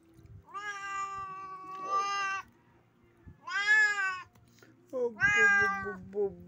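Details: Domestic cat that has caught a bat, giving three long, drawn-out meows with rich harmonics, the last rising sharply and wavering before trailing off; faint low rumble behind.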